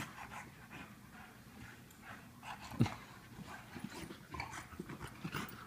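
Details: An English Bulldog, Lola, and a Wheaten Terrier, Mr. Fitzgerald, playing together indoors: rough, breathy panting in quick bursts, with soft scuffling and a sharp thump near the middle.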